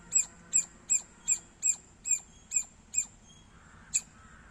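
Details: A squirrel gives a quick run of about nine shrill, squeaky chirps at a steady pace, falls silent briefly, then adds one final chirp.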